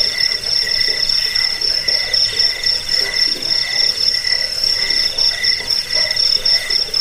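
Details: Crickets producing a continuous chirping chorus, used for scaring rats, sleep and bird tutoring: shrill pulsed trills at a few stacked pitches, swelling in short regular bursts.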